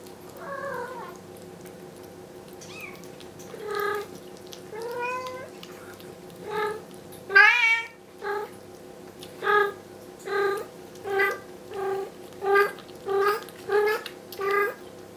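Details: Bengal mother cat with young kittens indoors, calling insistently as she wants her kittens moved back to the carpeted bedroom; loud meows, some rising and falling, then a regular series of short cries about every half second.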